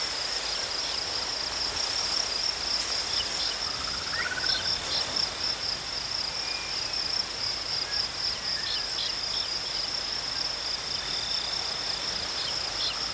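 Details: Crickets chirping outdoors in a continuous high, even trill that holds steady throughout, with a few faint, thin bird whistles gliding in the background.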